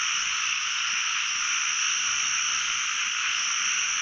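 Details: Steady wall of sound from many narrow-mouthed frogs calling throughout a pond during the year's first frog-catching trip; overlapping croaks form an even, hissing drone.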